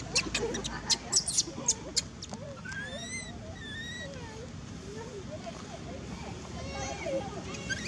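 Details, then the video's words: Monkey named Maci crying in fright after another monkey, Marcus, screamed a warning at it: thin whistled cries rising and falling in pitch, some sweeping upward sharply, repeated over several seconds after a burst of sharp clicks and knocks. "Maci scare till lost sound cry"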